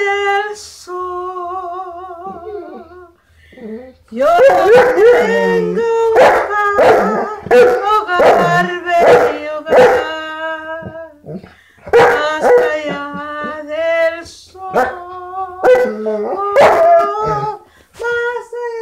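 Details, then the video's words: A Saint Bernard howls in song: a soft steady wavering tone opens, then loud quavering howls mixed with sharp yips and whimpers, each phrase sliding up and down, with brief breaths between. "Saint Bernard singing"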